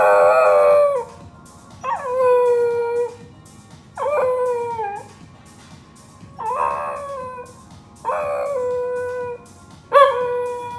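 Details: Pembroke Welsh corgi dog joining in with a playing song: six rich tonal howls about every two seconds, each starting high and sliding downward before fading, quiet music underneath.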